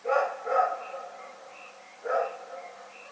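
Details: Night barking from Rex the dog in Pyrga, February 27, 2018: two quick rough barks, then a third after about a second and a half of quiet, with a constant high chirring chorus in the background.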